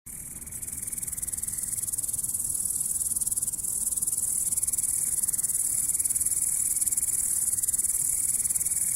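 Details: Grasshopper chirping: a shrill, very high, continuous buzzing trill that holds steady throughout after a quick start, with faint low rumble underneath.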